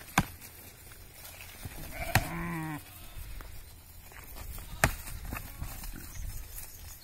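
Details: Rams in a fierce fight at Udaiyampuli, 8 March 2021: one coarse, harmonic bleat of nearly a second that sags slightly in pitch, flanked by sharp cracking clashes, over a steady murmur of low outdoor noise.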